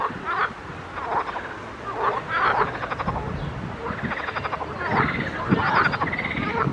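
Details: In a pond, several frogs croak in overlapping bursts, each call a rough, pulsed rattle over a low rumbling background.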